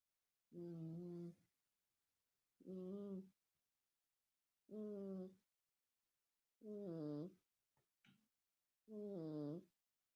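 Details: Loud cat snoring: five drawn-out, voiced, wavering snores, each under a second long, coming about every two seconds, with a faint brief click between the last two, in a quiet room.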